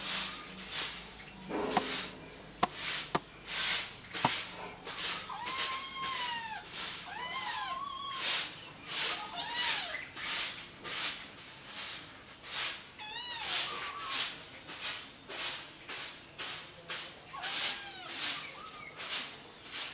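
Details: Kittens suckling from their mother and competing for milk; thin, arching mews with overtones appear in small clusters amid steady, rhythmic rustling and shuffling pulses about every second.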